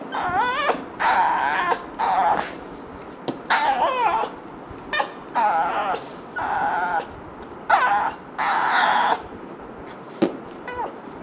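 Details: Yumi, a pet dog, frustrated by fart sounds, gives repeated high whining whimpers and yelps in short bursts of about a second, wavering up and down, with brief pauses between, indoors.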